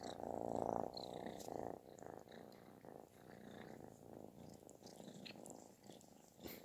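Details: Kitten purring loudly, like snoring, while seeking affection; a dense continuous rumbling buzz that swells and fades in long cycles, loudest in the opening second, with faint clicks above.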